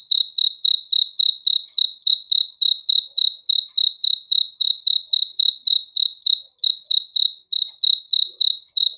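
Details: Steady nocturnal cricket song of crisp, high, evenly spaced chirps, about three and a half per second throughout, with nothing else audible.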